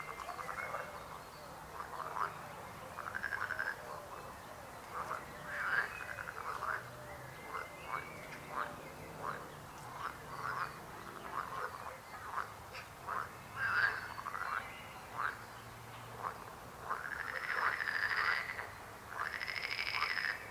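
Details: Lengthy frog chorus of short clicking, rasping croaks repeated in loose runs, building toward the end into louder arched, buzzy calls with a thin high tone, over soft background hiss.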